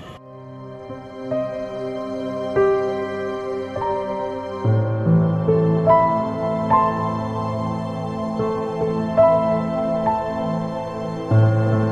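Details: Slow, sad new-age music plays throughout, with soft sustained piano-like notes and no animal sound.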